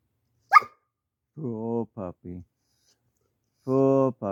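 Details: A male dog under two years old, shut outside away from his mother and frustrated by a mating urge to get inside, gives a sharp yelp, then drawn-out low moaning whines.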